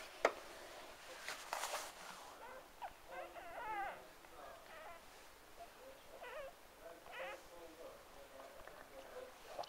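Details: Newborn Cocker Spaniel puppies, from a litter of six, give thin, high squeaks and whimpers, overlapping in short bursts.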